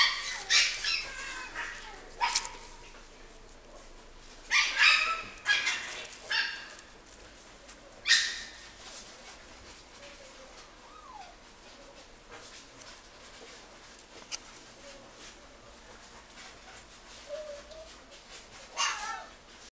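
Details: Miniature Schnauzer puppy in a pet shop in Japan, giving sharp high yaps in short clusters during the first eight seconds, then sparser single yaps, with faint squeaky whines between and a quiet room hum.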